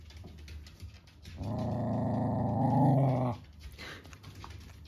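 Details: Pembroke Welsh Corgi mother dog indoors, warning her 10-day-old puppies as they jump around her in protective maternal behaviour; a sustained deep rumbling growl of about two seconds, softer sounds before and after.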